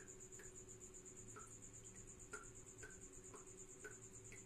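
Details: Shrill, rapidly pulsing chirp of a tropical house cricket holds a constant pitch throughout, with a few separate descending ticks spaced about half a second apart and a faint low hum.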